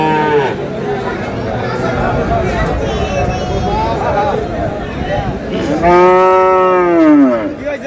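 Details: Cattle moo amid the buying and selling of Friesian and cross-breed bull calves at Aftabganj market, Dinajpur, 7/6/26: a short low call early on, then a strong, drawn-out bellow that arches up and falls away, against a busy crowd of talking traders.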